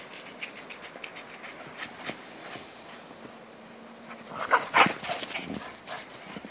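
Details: Jack and Bobby, two dogs romping in a snowstorm, pant in quick breathy puffs, with a louder burst of snuffling and faint whiny tones midway before the breathing settles again.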